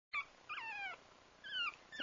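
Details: Pug mix puppy named Lira whines in high, thin, drawn-out cries: a short squeal, then two longer wavering whines that slide downward and fade, with a quiet room behind.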